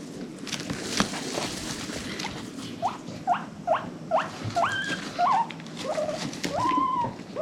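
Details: Domestic guinea pig from a rescue-adopted herd, happy wheeking: a run of short squeaky rising whistles from about three seconds on, each under half a second, growing longer and higher toward the end, over faint rustling.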